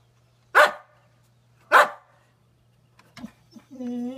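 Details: Boxer dog, male, almost nine years old, chasing sunlight reflections at home: two sharp, loud barks about a second apart, followed by a short yelp and a higher drawn-out whine.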